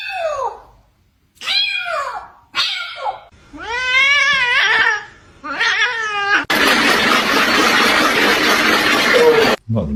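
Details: Indoor pet cat gives a run of loud, drawn-out meows and yowls, some falling in pitch, others arching up and down, repeated about every second. A burst of loud, harsh noise follows at the end.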